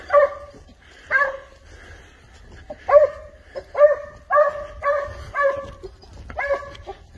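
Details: Spanish hound following a wild boar trail, barking repeatedly in strong harmonic barks roughly every half second to second, evenly loud throughout.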